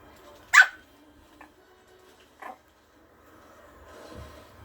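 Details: Malkie puppy named Ato, a Maltese-Yorkie cross, playfully charging at an older dog indoors without fear; one sharp, bright yelping bark near the start, then a fainter short bark, with soft background noise and faint music.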